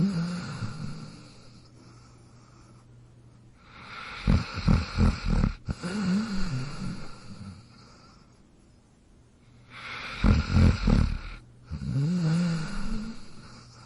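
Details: Snoring dog, its breaths coming as pulsed, rattling low snores followed by softer whistling exhales, two full cycles about six seconds apart.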